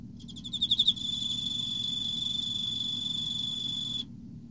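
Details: In autumn an Emma field cricket sings a rising series of rapid, chirping pulses. These merge into a sustained high, ringing trill that runs for about three seconds and then ends.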